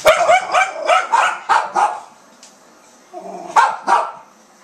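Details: A dog barking indoors at dogs shown on TV during the Westminster Dog Show: a rapid series of sharp barks, a short pause, then two more barks, with faint television speech behind.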